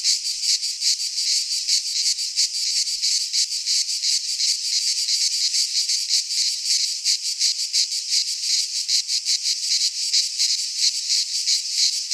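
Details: Midsummer chorus of cicadas in a Greek pine forest: an unbroken, rasping high-pitched drone with rapid rhythmic pulses, many insects overlapping, nothing else audible.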